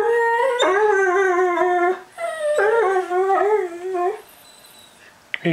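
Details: Howling of pet whippets Max and Jake, prompted to sing indoors: two sustained tonal howls, each with a dip and wavering rise in pitch, separated by a short pause, then quiet and a brief knock at the end.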